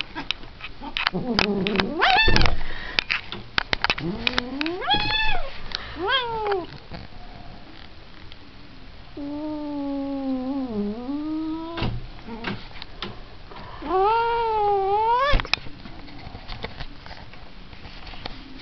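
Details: Agitated cat caterwauling with a string of rising, swooping yowls of varying length, including a long wavering low moan that dips and climbs again, mixed with scuffing and clicking noises in between.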